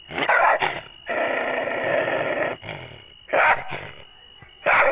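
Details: Aggressive dog letting out loud, harsh barks in short bursts, with a sustained rough growl between them and a final sudden bark.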